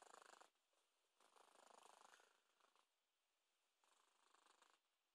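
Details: Fat cat snoring while asleep, a quiet breathy rasping sound in three drawn-out bursts of roughly half a second to a second, separated by near silence.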